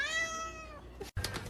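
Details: Domestic cat, female, uttering a loud, clear meow under a second long with many stacked harmonics, holding level then trailing off, followed by a brief pause and soft rustling noise.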